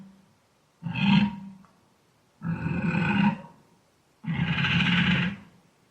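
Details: Wild boar grunting: three long, harsh, low grunts spaced roughly every one and a half seconds, each rasping and swelling then fading, in an otherwise quiet setting.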